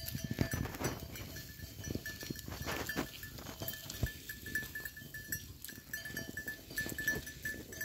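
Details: Goats recorded on 18 December 2023, rough bleating calls rising over a steady ringing of bells worn by the herd, with scuffling and low rumbling noise throughout.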